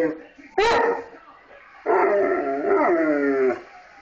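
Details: A 230-pound pet Bullmastiff singing along to harmonica: a short yelp, a pause, then a long wavering howl that dips and rises for nearly two seconds, with a person's voice nearby.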